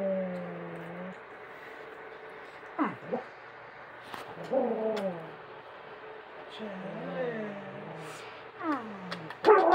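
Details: Dog in the United States jealous as its owner kisses another dog; rising and falling whines and short yips come in bursts over a steady background hum, with a human voice.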